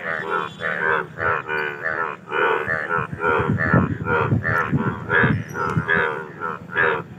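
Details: Several Indian bullfrogs calling for mating, throaty, harmonic croaks repeating more than once a second and overlapping, with low rumbling underneath.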